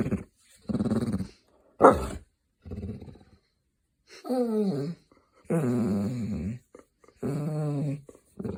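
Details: A grumpy, silly pet hound grumbling indoors: short low growls at first, then longer wavering moans that slide downward in pitch, in three drawn-out bursts about a second each.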